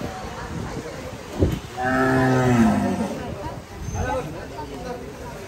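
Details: Sahiwal cattle on a farm, described as a very wild, crazy animal being shown off: one drawn-out harmonic moo of about a second, rising then falling, with people talking before and after.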